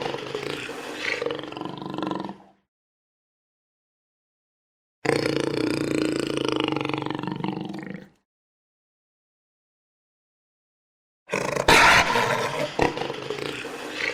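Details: ['Jaguar heard in three roaring spells separated by silence: throaty, harmonic roars of two to three seconds each, the last one louder and harsher with abrupt noisy bursts.']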